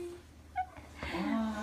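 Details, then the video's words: Paty, an Akita dog, fawning on a favourite vet indoors; a short, sliding, high whine rises then falls, following a brief soft yelp, with faint music behind. "秋田犬パティ 大好きな獣医師さんに甘える"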